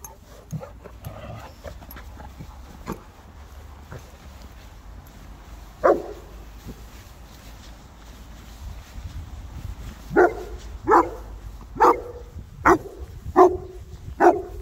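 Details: South African mastiffs, Boerboels, three playing: scattered soft clicks and a single bark early, then a quickening run of six barks close together in the final seconds over low background noise.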